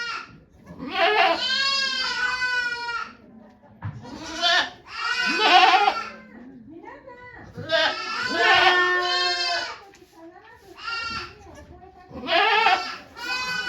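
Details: At Yoshigake Farm, 3 May 2023, as the goat Okayu delivered two babies before watching volunteers, a goat gives about six quavering, harmonic bleats, some long and tremulous, others short, with little quiet between them.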